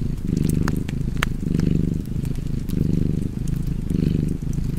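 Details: Domestic cat purring by a crackling fireplace: a low, rumbling purr in steady swells, each breath lasting roughly a second, with sharp wood-fire pops and crackles over it.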